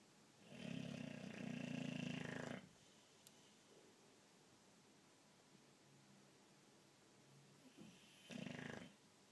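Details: A pet boxer asleep and snoring hard, a deep rattling snore of about two seconds, a long quiet pause, then a shorter rasping snore near the end.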